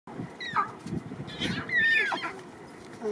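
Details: Lion; cub mews; cubs communicating with their mother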